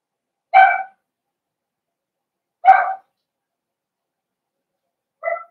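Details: Four-week-old Cavalier King Charles Spaniel puppies with older dogs in a home pen; three short, clipped yips about two seconds apart, the last one softer, with quiet between.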